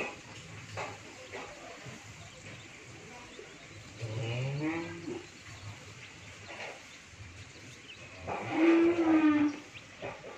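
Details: Pair of Sahiwal Sindhi bull calves on a dairy farm in Bhangura, Pabna, Bangladesh, low mooing: a soft groaning moo, then after a pause a louder steady moo lasting about a second, over faint background hum.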